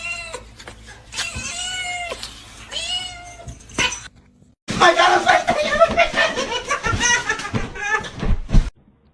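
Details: Pet cat from a funny cats compilation giving repeated arched, harmonic meows about every one and a half seconds, followed by a louder noisy stretch with mixed voices and clatter.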